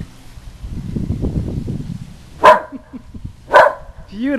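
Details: Usually quiet female whippet barking at the passing Goodyear blimp on a sunny South Florida day; a woman talks at first, then two crisp barks follow about a second apart, with a short whine at the end.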